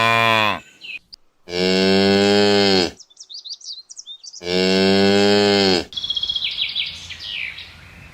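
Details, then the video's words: Cow on a farm giving two long, low, drawn-out moos, each lasting over a second with a rich, steady tone, separated by a pause; brief high chirping sounds fill the gaps and follow the second moo. "Listen to the Sounds of Cows"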